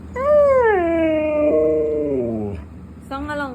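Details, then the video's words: Siberian husky, described as angry at being refused treats, lets out a long tonal howl that starts high, slides down and holds, breaks off, then resumes briefly after a short pause. "batang galit kapag hind binigyan ng treats"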